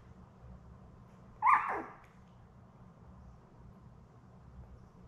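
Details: A single brief, high yelp falls quickly in pitch, then gives way to quiet room hum. It comes from the litter of seven Labrador Retriever puppies born May 24, 2021, lying with their mother Belle on an indoor live puppy cam on 4 June.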